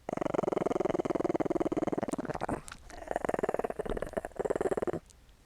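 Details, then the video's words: Small dog at play, giving a low, rapidly pulsed rumbling growl, about ten throbs per second, in two bursts broken by a brief pause. "Small Dog Growling and Licking Sound Effect"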